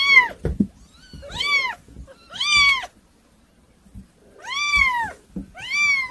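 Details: Kittens meowing, a lively, hard-to-manage group: clear arched high meows in pairs, separated by a short silent gap, with soft thumps and handling noises mixed in.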